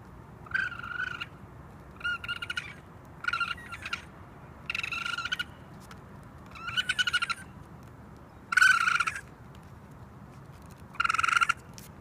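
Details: Raccoon sounds: a series of seven rough, buzzy bursts, softer and stuttering at first, growing louder toward the end, spaced one to two seconds apart.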